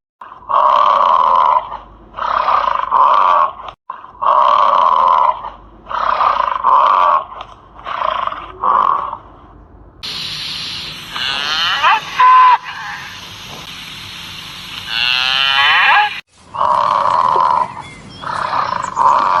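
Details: Repeated harsh, blaring elephant calls in short bursts, broken midway by a stretch of hissing noise with a few higher squealing sweeps, then the blaring bursts return.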